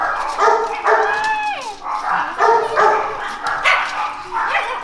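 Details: Two female French Bulldogs, Sawol and her younger sister Kkeutsun, excited at dog kindergarten among large, medium and small dogs. Bursts of harmonic yipping barks, with one whine sliding sharply downward mid-clip, repeated in short uneven runs.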